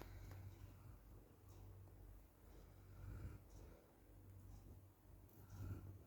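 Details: Micky, a Golden Retriever, sleeps exhausted while the weather outside is very hot, snoring softly indoors: low, rumbling breaths swell and fade every couple of seconds in a quiet small room.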